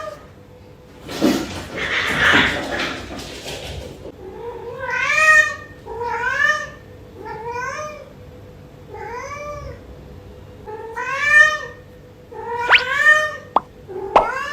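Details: Early-morning meowing from Yuanbao, a pet cat asking for more food right after eating; a rustling noise, then a series of short rising-falling meows about every second and a half, plus a few sharp clicks.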